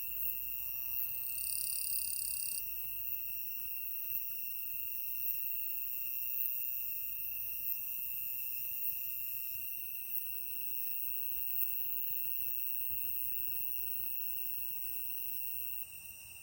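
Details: Insect calling in Shimokawa, Kamikawa District, Hokkaido, Japan, on 5 September 2020: a steady high tone runs throughout, with a brief bright buzzing trill in the first seconds. Faint background hiss; a possible footstep-like sound near the end.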